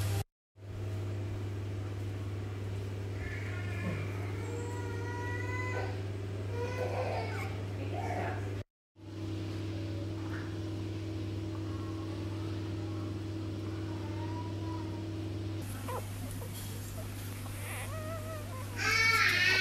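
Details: Newborn Dachshund puppies from a litter of eight, five males and three females, born on Sunday 5 May to Pien and Ott, indoors. They give short, high whining squeaks in bursts over a steady low electrical hum, with a little human speech.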